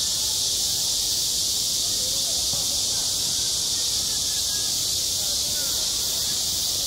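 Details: Summer cicada chorus at a school playground, a steady shrill buzzing wall of sound that never pauses, while soft distant voices drift in beneath it.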